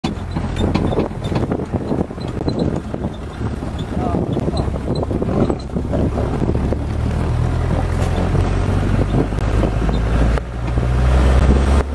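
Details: Steady engine rumble with wind buffeting the microphone and murmured voices; no animal call stands out.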